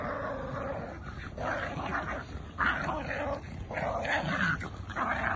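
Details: Sibling dogs, a Jack Russell and a Bull Terrier, tussle over a tug toy, producing near-continuous harsh growling that swells and breaks into separate rough pulses.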